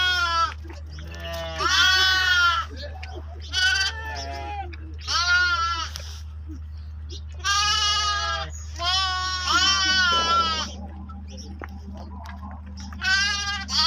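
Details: Lambs with sheep at milk-drinking time, bells mentioned: a rapid series of short, quavering bleats from several animals, each call bright and harmonic, spaced about a second or two apart over a constant low drone.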